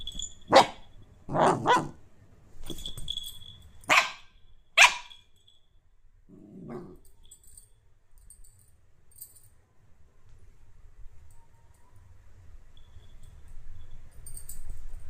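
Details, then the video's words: Dog barking: several sharp, loud barks in the first five seconds, then a brief low growl-like sound, followed by quiet with a low background rumble. "dog sound"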